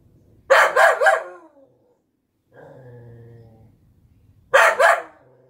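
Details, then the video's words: Golden Retriever Collie mix barking at a freshly picked garden zucchini: a rapid triple burst of loud barks, a pause with a low whining hum, then another quick double bark. "Our Golden Collie Barking at a Zucchini"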